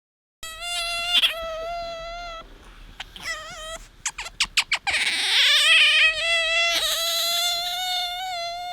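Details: Pet otter named Bingo squeaking while seeking attention as a hand is held out; loud, high, sustained harmonic squeals broken by short chirps, ending in a long continuous squeal.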